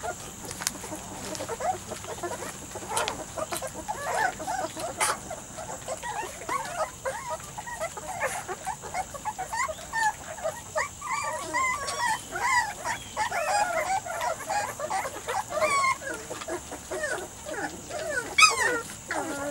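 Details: Litter of three-to-four-week-old Weimaraner x Vizsla puppies born to Biscuit, giving a steady stream of thin, wavering whines and squeals that overlap and thicken toward the second half.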